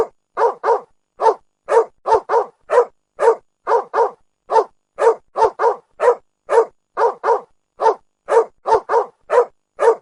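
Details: Repeated barking from a dog: clipped, mid-pitched barks, around twenty-five in ten seconds, singles alternating with rapid doubles, clean and otherwise quiet.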